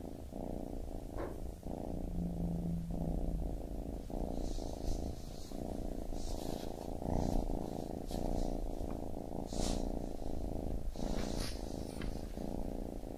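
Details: Deep rhythmic purring from a baby kitten, the buzzing rumble rising and falling with each breath over about thirteen seconds, mixed with scattered soft rustling and brief higher scratchy sounds.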